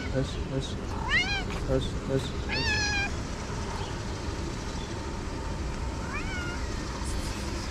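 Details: Hungry cats, six gathered in a garden in Morocco, among abandoned kittens cared for in a small shelter: three rising-then-falling meows, two close together in the first three seconds and one more later, over a steady low rumble of traffic.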